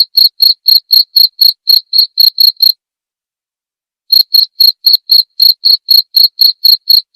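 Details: Jangkrik, a cricket, recorded as masteran material for tutoring songbirds and for therapy. Rapid high chirps come about four per second, break off into silence for roughly a second and a half, then resume at the same pace.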